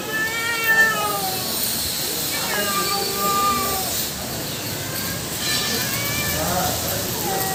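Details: Two female cats and a black male in a fight, their drawn-out, slightly wavering yowls holding steady pitches, stacked and overlapping, with a few short dips and pauses between calls.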